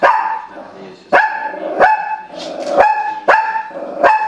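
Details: Pet Shih Tzu bitch reacting to an animal show on TV with loud, ringing barks spaced roughly half a second apart, a brief whiny stretch in the middle, no other sounds standing out.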